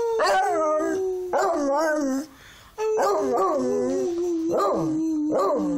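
A beagle sings in long, wavering howls that slide downward, broken by a brief pause.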